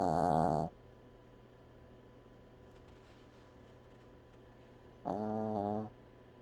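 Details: Dog snoring, with two loud, harmonic, droning snores about five seconds apart, each lasting under a second, separated by quiet breathing.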